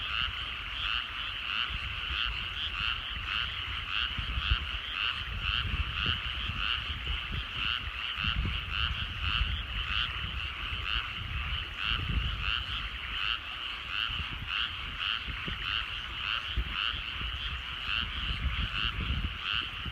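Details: Frogs in rural rice fields at sunset: a loud chorus of croaks pulsing rhythmically, roughly twice a second, over a continuous trilling backdrop, with low rumbling noise and occasional thuds.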